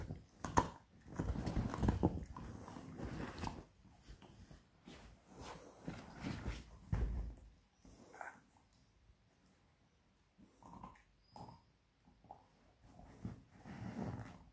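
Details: A 7-month-old beagle puppy works on a pork bone in a small room, making bursts of heavy crunching and scraping bites, loudest early on, then sparser clicks separated by short quiet gaps.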